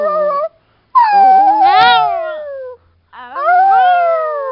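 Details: Chihuahua howling: three drawn-out tonal wails separated by short silences, the long middle one sliding down with wavering, yodel-like breaks, the last starting high and falling.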